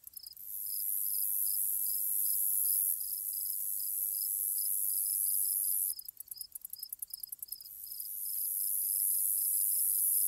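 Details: Grasshopper ambience: an intense, high sizzling drone runs throughout over a lower chirp pulsing about twice a second, interrupted midway by a spell of quick, uneven clicking bursts before the continuous hiss swells back.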